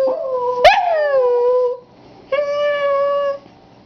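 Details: Pet dog Coney, set off by a passing fire truck, gives two drawn-out howls. The first opens with a quick rising yelp that slides down to a steady note, and the second is flat and even, with a short pause between them.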